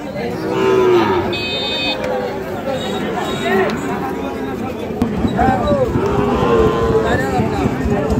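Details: At Ambari haat in Dinajpur district, 24 November 2025, fattened Sahiwal bull calves give several short, bending moos, one after another, with busy market voices and bargaining talk behind them.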